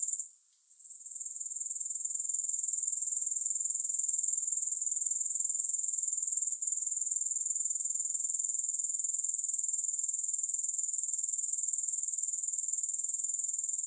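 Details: Grasshoppers start softly, then swell within a couple of seconds into a sustained, piercing, finely pulsed trill that holds steady to the end, with one tiny click-like break; nothing else is audible.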